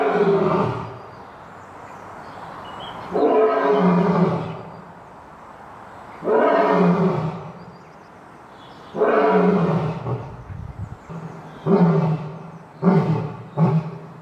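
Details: Lion roaring sequence: long, deep moaning roars spaced a few seconds apart, growing shorter and closer together toward the end.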